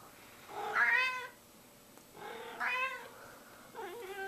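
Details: Fat pet cat begging for food with three loud, rich meows about a second and a half apart, the first two bright and rising-falling, the last one lower and wavering.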